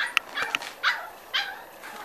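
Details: Upset five-week-old Corgi pups yelp in two quick squeaky bursts, then give two longer, falling whines, high and thin, as they try to get through an opening.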